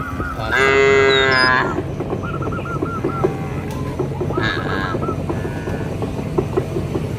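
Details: A roaming cow in a village field lows to summon its companions back to the barn. A loud, strong moo of about a second opens the clip, followed by busy chirping birds and a low background hum.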